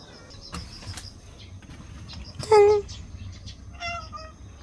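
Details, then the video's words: Two stray cats at night, demanding that a door be opened, give a short, loud meow with a slight fall in pitch, then a softer second meow about a second later over low background hum. "밤마다 길냥이 둘이서 문 열어달라고 협박해요"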